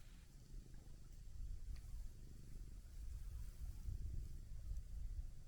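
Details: Relaxed orange tabby cat purring as it is stroked beside a pond path, a continuous low pulsing rumble that swells slightly in loudness, over faint outdoor ambience.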